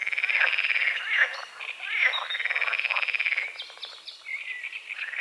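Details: Dawn chorus of frogs over a small lake at the forest edge in morning fog: dense, overlapping rattling croaks, some rising and falling in arcs, pulsing continuously without a pause.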